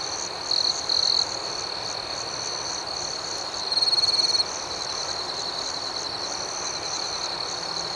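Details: Nocturnal crickets keep up a steady shrill trill. A nearer one adds short louder bursts early on, then a longer, stronger stretch from about 3.7 to 4.4 seconds.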